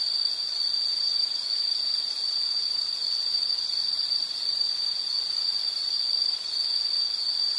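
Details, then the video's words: Insect calling steadily: a piercing, constant high trill at an unchanging pitch and nearly level loudness throughout, over quiet background hiss. "Sound · Nature Sound of nature sounds scenery L · insect"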